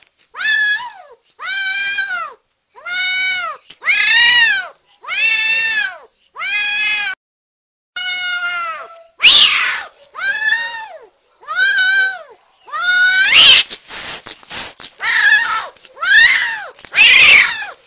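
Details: Energetic, very happy kitten meowing repeatedly, about one call every second, each meow a clear harmonic arc rising then falling; later calls grow harsher and more insistent, with some scratchy noise between them.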